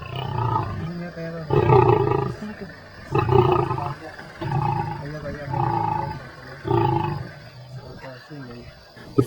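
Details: Big male lion growing defensive over his food while eating at night: deep, rasping growls rumble in repeated bursts about every one and a half seconds, while a man speaks quietly close by.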